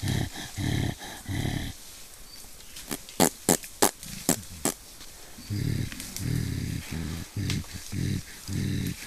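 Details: Deep throaty grunts from mountain gorillas in Rwanda's Volcanoes National Park. A quick series of sharp percussive knocks in the middle breaks the grunting, and low rumbling bursts return afterward.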